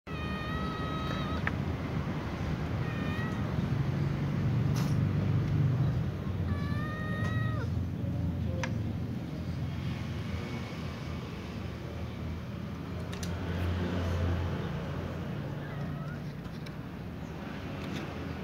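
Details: Little cat meowing while butting at other cats: short, high, clear meows in small clusters near the start, around three seconds and again near seven seconds, over a steady low rumble.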